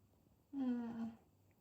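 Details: Nala, a Maine Coon cat in Sweden, gives one soft, low, drawn-out call lasting about half a second, steady in pitch with a slight downward slide, in an otherwise quiet indoor setting.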